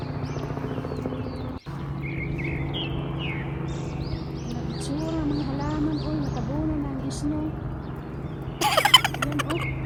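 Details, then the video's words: A coyote howling at a ravine: a wavering, warbling tone rising and falling in a series of short arcs for about three seconds, with birds chirping high above, steady low background hum and a burst of noise near the end. "HOWLING COYOTE AT THE RAVINE"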